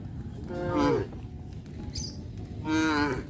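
Two drawn-out cow moos, each a low harmonic bellow that swells and then falls away.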